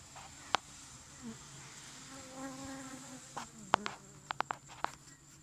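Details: Commotion inside a Thai cavity-nesting Asian honey bee hive about a month old. A low continuous hum carries a short wavering whine near the middle, like a bee passing close, and the end is dotted with sharp clicks and taps.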